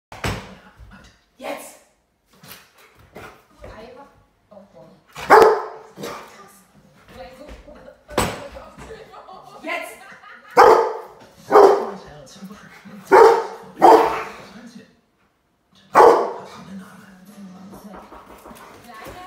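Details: A Rottweiler named Chop, barking at home, gives loud, deep single barks spaced a second or two apart, sounding an alert about a thief.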